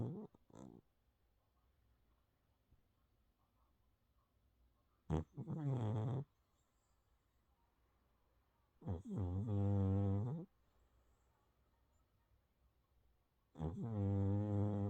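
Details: A sleeping calico cat snores in three separate rasping breaths, each lasting about a second and spaced roughly four seconds apart. Each one is low and buzzy with layered overtones, set against a quiet indoor background.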